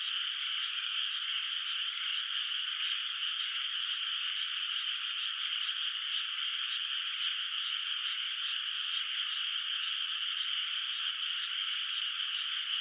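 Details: Nighttime frog chorus from an unplanted, moonlit countryside rice field: countless overlapping croaks pulse rapidly and evenly, forming a constant high-pitched trill without breaks or other noises.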